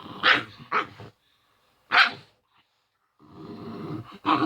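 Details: Male pet dog barking and growling in play, its normal playful sounds, while it stays protective of its sick owner; two quick barks, a pause, one more bark, then a low growl ending in a bark.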